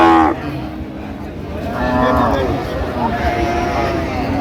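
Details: A cow with calf at Ambari livestock market in Dinajpur, Bangladesh, recorded 7/9/25. One lowing moo in the middle, then a fainter second call, amid people talking and traffic-like background noise.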